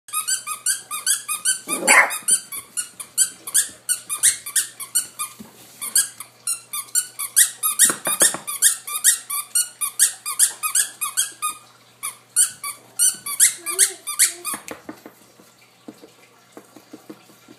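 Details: Malachi, a 7-week-old male blue-nosed American Pit Bull Terrier puppy, gives rapid high squeaky whines and yelps in quick repeated bursts, with a few harsher noisy barks, in a small indoor room.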